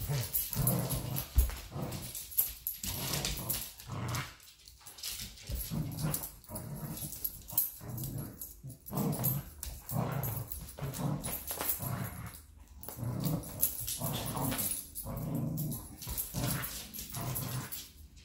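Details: Two playful dogs, a Golden Retriever and a Chihuahua/Rottweiler mix, in a tug-of-war game: steady throaty growls rising and falling in uneven bursts, with panting and rustling in a small room.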